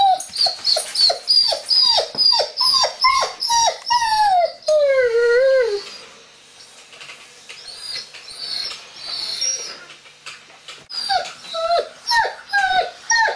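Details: Young Doberman, one year old, voicing frustration behind a closed door because he wants to meet visitors: a fast series of high yelping whines, several long downward-sliding wails, a quieter pause, then more clipped rising-falling squeals.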